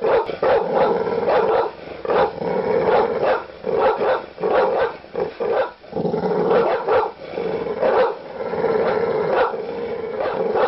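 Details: Noisy, aggressive canine barking, large dogs producing rapid, overlapping deep barks in a steady stream, with occasional sharper yips among the heavier woofs.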